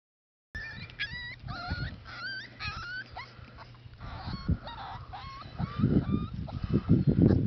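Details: Six-week-old Pembroke Welsh Corgi puppies whimper in high, thin, wavering squeals that come in quick bursts.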